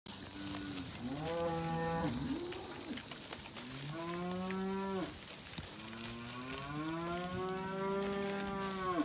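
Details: Angus and Black Baldy weaner steers and heifers at a weaner sale in Casino, 12 March 2021. Three long, harmonic-rich moos, each falling slightly at the end, over a steady background hum of the saleyard.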